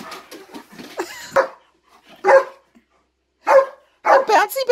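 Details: German Shepherd reacting to something in a closet, a person talking briefly over the start before a few loud, sharp barks follow at irregular gaps, indoors.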